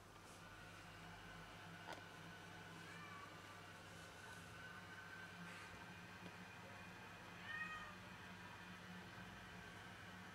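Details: Cat bringing home a caught rat to brag, uttering two soft, brief meows near three and seven and a half seconds over a steady low mechanical hum.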